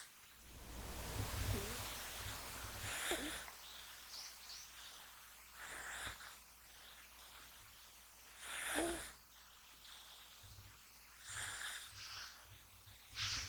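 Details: Male American Shorthair kitten Gash, born January 2020, deep asleep and snoring while being touched; soft breathy, hissing snores recur roughly every three seconds over a quiet indoor background.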